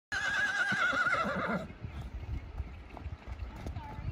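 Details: Salt River wild horse at Blue Point, giving a loud wavering whinny for about one and a half seconds, shaking up and down in pitch before cutting off, followed by low thuds and shuffling noises.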